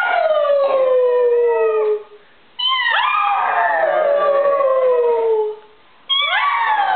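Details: A pug, set off by a doorbell, copies its owner's howling with long, mournful howls that slide slowly downward, each lasting a couple of seconds.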